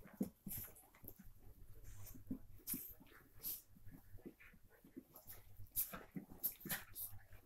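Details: Two female Miniature Pinschers, half-sisters, at play indoors give soft growls, snuffles and short whimpering bursts.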